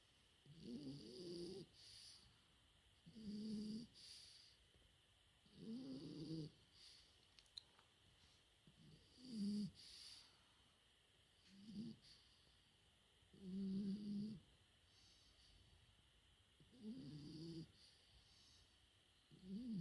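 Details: Sleeping French Bulldog puppy aged four months gives a series of eight raspy snores about every two to two and a half seconds, some with a whistling tonal edge, over a soft continuous background hum.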